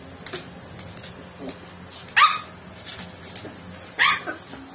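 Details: Pet dog Joey, who has swimmer syndrome, reacting to Coke he dislikes with two sharp barks about two seconds apart, between quieter rustling and faint yips over a low household hum.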